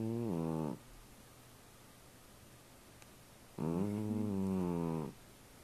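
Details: A domestic cat snoring indoors: two drawn-out, low, droning breaths with a buzzy, slightly wavering tone, the first under a second long and the second about one and a half seconds, separated by quiet room hiss.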